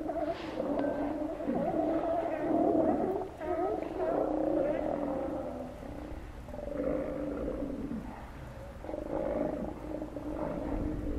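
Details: Steller sea lions at Cowichan Bay, Vancouver Island, Canada, giving overlapping hoarse roaring calls, several voices at once in drawn-out bellows with short gaps, a steady chorus throughout.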